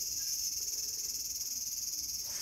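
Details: Continuous high-pitched electric-sounding drone of a cicada in a small garden, August 5, 2020, steady and unbroken with nothing else clearly heard.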